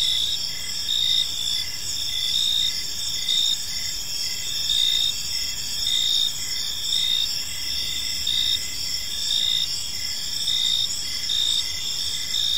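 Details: Evening park crickets in gentle chorus: continuous high-pitched trilling from many insects, overlaid by regular short chirps pulsing roughly twice a second, no other voices intruding.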